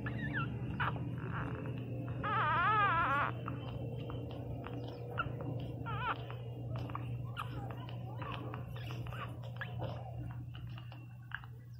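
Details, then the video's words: Newborn Pinscher puppy named Teco crying loudly: a long, quavering, wavering whimper in the middle, a shorter wobbling cry later, and brief squeaks between, over a steady low electrical hum and small clicks. "Som de cachorro Pinscher 0 ressenacido chorando"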